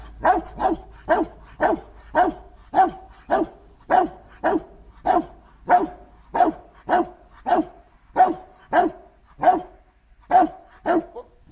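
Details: Dog Marshal von Hause Sommer barking during protection training on 8 September 2014: a loud, steady run of about nineteen sharp barks, one roughly every 0.6 seconds, with short pauses between bursts and little other sound.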